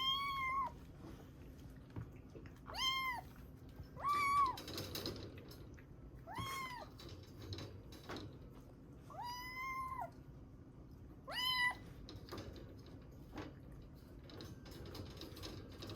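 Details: Rescued kitten Ame, estimated three to seven weeks old, from Osaka, found soaked in heavy rain in August 2021. She gives affectionate, sleepy and hungry calls: six clear, harmonic meows, each slightly falling, spaced a few seconds apart over a low indoor hum.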